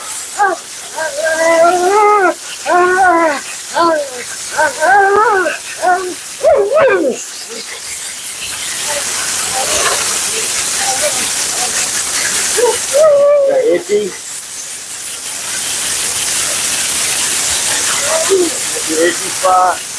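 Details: Talkative Siberian Husky Mila complains during a bath and blowout: quick wobbling howl-talk bursts in the first seven seconds, then mostly steady hissing of dryer or water with a couple of short whines.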